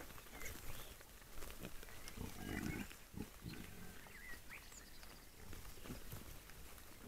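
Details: Several wild boars: low rough grunts and snorts come in irregular bursts over rustling, while faint bird notes sound far off.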